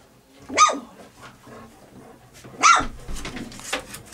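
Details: Three-week-old puppies in a scramble for their mother's milk; two sharp, loud yelps about two seconds apart, each falling in pitch, with soft rustling and faint squeaks between.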